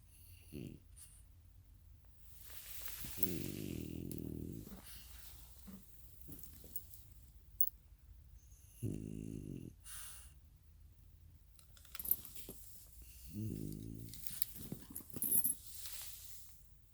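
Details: Goat snoring: three low, rattling, pulsed snores of one to one and a half seconds each, plus a few shorter snorts, with quiet breathing in between.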